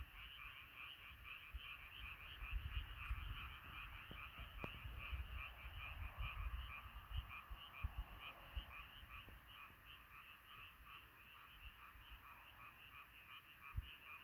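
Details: Frogs singing together after dark, a thick wall of fast repeated croaks pulsing without pause, backed by low rumbling noise and a few faint knocks.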